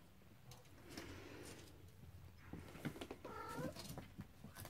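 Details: A short, wavering kitten meow rises out of steady clatter and shuffling as Cornish Rex and Scottish Fold kittens explore on their first outing.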